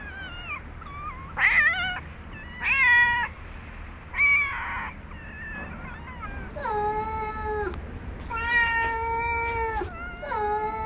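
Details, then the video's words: Domestic cat meowing in a mix of real cat sounds: three short, strained, rasping cries, then a series of longer, steady, drawn-out meows with drooping ends, over a faint low background hum. "Real Cat Sounds"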